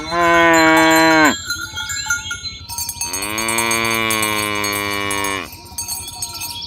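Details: Cattle herded in the morning along village roads toward their pen. A short moo is followed, after a pause, by a sustained, richly harmonic moo of over two seconds. Cowbells clink in the background.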